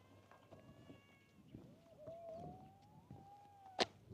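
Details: Kitten at a fishing port, curious about the camera yet still a little scared, gives a long drawn-out meow holding a steady tone before a sharp click near the end; an earlier faint high meow and low background rumble.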